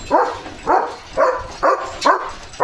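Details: Freshly bathed farm German Shepherd barks fiercely when a bullock cart passes; a steady run of six loud, rough barks about half a second apart, with faint background noise.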